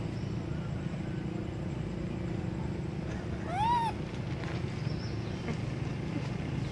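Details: Baby monkey named Sweet Pea crying loudly up in a tree, hungry for milk: one clear arched, whistle-like cry that rises and falls with ringing overtones, set against a steady low rumble like an engine.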